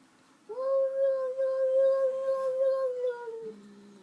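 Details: Domestic cat calling after seeing a new cat in the household, indoors in a small room: one long, steady, tonal call held for about three seconds, even in pitch, dipping slightly at the end before a brief lower sound.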